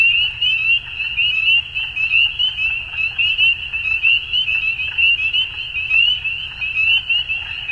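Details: Evening frog chorus at dusk: high, fast trilling notes from many callers blending into one continuous band, loudness rising and dipping in uneven waves, faint low background noise.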